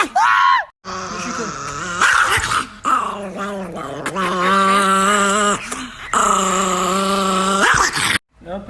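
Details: Angry Chihuahua in sustained, low, rasping growls, held for several seconds at a time and broken by brief silences, with a short yelp at the start and a human voice mixed in.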